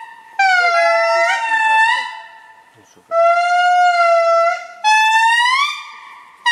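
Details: Indri lemurs calling at Andasibe, Madagascar: loud, sustained wailing notes with rich harmonics, held steady then swooping upward, in three long bursts separated by short pauses.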